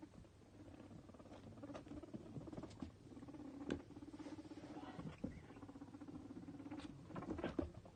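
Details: Two male pet guinea pigs, Toffee and Fudge, playing and eating carrot stick snacks between bouts of popcorning; a continuous low pulsed chuttering rumble across the clip, broken by soft taps, clicks and rustling.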